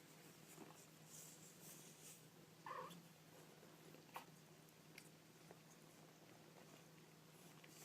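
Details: Kittens making small noises indoors: one brief, clear mew rings out near the three-second mark, followed by a few faint clicks and light shuffling against a steady low hum.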